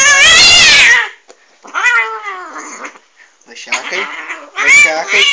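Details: Angry cat letting out a loud harsh yowl, then softer wavering moans and a final rising wail, with a person's voice mixed in.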